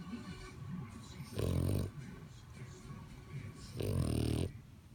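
A French bulldog snores with deep, rattling breaths, two loud low snorts about two and a half seconds apart.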